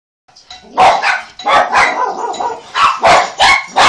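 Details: Several dogs barking at the doorbell after it rang, going crazy: loud, rough, overlapping barks in a rapid burst, roughly nine in under four seconds, after a brief silent start.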